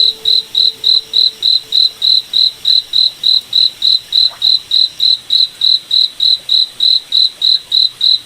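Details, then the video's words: A cricket in a forest at night repeats clean, high-pitched chirps at a regular beat, about 3.5 per second; a soft low tone lingers under the opening seconds, then only the chirping remains. "Cricket Night Forest Ambience"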